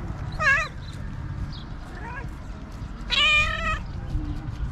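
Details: Stray cat in Morocco waiting for trash to be thrown out so it can find food; two drawn-out wavering meows about two and a half seconds apart, a softer short call between, low street rumble beneath.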